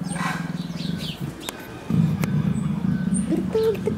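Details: Greta, a female leopard described as affectionate with her keepers and in heat, purrs in a steady low pulsing rumble that grows louder after about two seconds, with a human voice briefly at the start.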